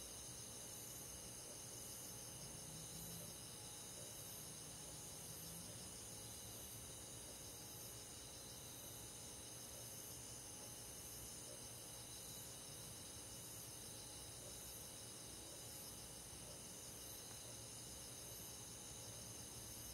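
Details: Night chorus of crickets among forest insects on a summer countryside night, high continuous pulsing trills stacked in several bands, unbroken throughout, with a soft low hum underneath.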